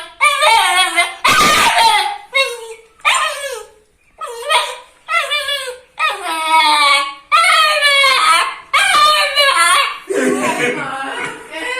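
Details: Puppy barking, described as angry and cute: high, tonal yelps and short barks in quick bursts, roughly one every second, with a louder harsh bark near the start and a low whimpering sound at the end.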